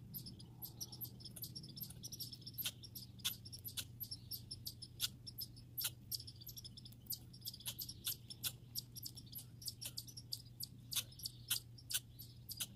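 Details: Backyard grey and red squirrels give a stream of sharp, high squeaky chirps, some single and some in quick clusters, with a constant low hum beneath.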